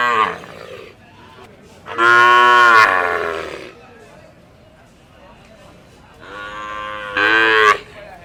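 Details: Cow at a village market giving a loud, harsh moo of about a second, then quieter murmuring and a second shorter moo rising in strength near the end.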